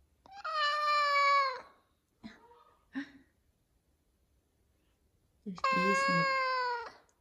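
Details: Big F2 Savannah cat meowing in the morning while wanting leftover chicken from the night before; two loud, drawn-out, flat-toned meows of over a second each, with brief soft sounds and a quiet gap between.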